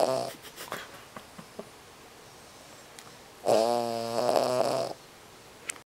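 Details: A small sleeping Cavalier King Charles Spaniel lets out one long, loud, buzzy, rattling snore that keeps a corgi nearby awake.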